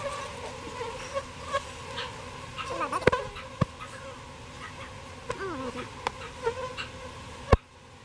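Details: A colony of bees relocated from a birdhouse to a proper bee box hums continuously in a layered drone, with scattered taps and thumps from the work and a few brief curving chirps.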